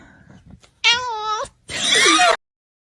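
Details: Domestic cat giving a drawn-out harmonic meow that wavers slightly in pitch for under a second, followed by a harsher, noisy yowl; a person speaks softly just before in an indoor room.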